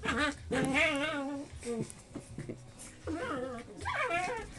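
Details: Four-month-old English Springer Spaniel puppies in a porch, probably one female and three males, whine and yip in high, wavering tones while some scrap, as a person talks nearby and the mother is present.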